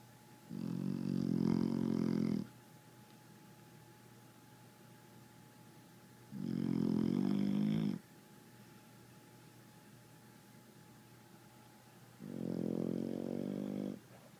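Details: A sleeping red nose pit bull snores in a room, giving three long, buzzy, rumbling snores at intervals of about six seconds, each lasting close to two seconds, over a low constant background hum.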